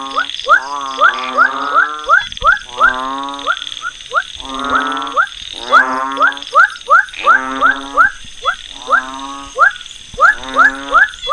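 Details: Unnamed frog used in a species identification demonstration: bursts of nasal harmonic croaks alternating with quick upswept notes, repeated several times per second in irregular groups, a constant high electronic tone underneath.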